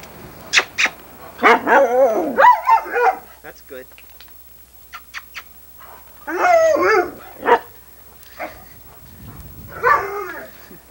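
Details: Female Irish Setter filmed in 1987, answering her owner with bursts of wavering, talking-style howls and whines, with a man's voice coaxing her between calls.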